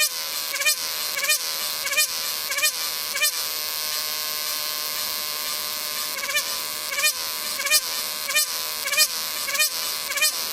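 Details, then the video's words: Cicada calling with a dense, shrill, high buzz. Lower swelling notes rise and dip over it about every half second, pause for a few seconds mid-way, then return in the same regular rhythm. "CICADA SOUNDS | Cicadas"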